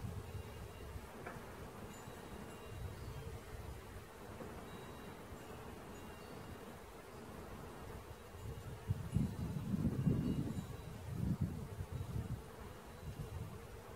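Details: Honey bee swarm being caught, possibly two swarms together: a steady low droning hum with a faint steady tone near its upper edge, swelling louder toward the end, with light rustling throughout.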